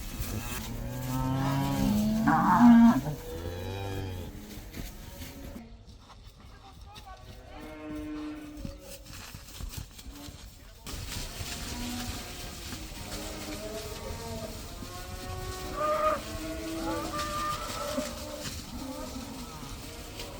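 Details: Herd of roughly 80 cows going outside for the first time, a loud low bellow at the start, then quieter scattered moos after a muffled stretch, with broadband noise in the background.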